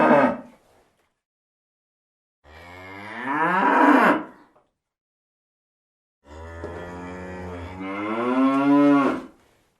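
A cow gives long, deep moos that swell in pitch and loudness before fading.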